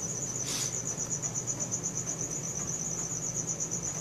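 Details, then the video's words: Nocturnal cricket chorus on a Samsung Galaxy S4 phone: a continuous shrill, finely pulsed chirping, briefly overlaid by a short hiss near the start, with a low hum underneath. "CRICKET SOUNDS | RELAXING SOUNDS OF NATURE AT NIGHT"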